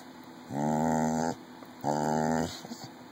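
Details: Indoors, 14-year-old red heeler Jr answers requests to say "mama" for candy with two loud, rich, growling moans, each under a second and separated by a brief pause, then faint murmurs.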